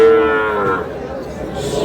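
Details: Sahiwal bull calf on sale to a Noakhali farmer gives a single drawn-out moo that starts strong and slowly falls and fades, with faint voices nearby.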